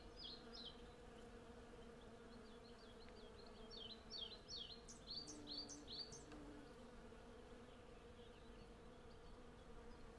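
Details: Western honey bees in their hundreds gather honey on a cherry tree in blossom, producing a constant low droning hum. Birds sing short whistled and chirping notes over the hum during the first half.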